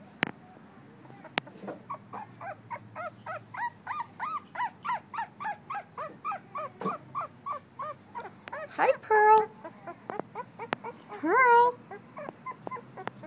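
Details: Pearl, a female blue-nosed American Pit Bull Terrier puppy two weeks old, recorded on 12-21-11, gives a long series of short, high squeaky whimpers about every half second, then two louder drawn-out cries near the end.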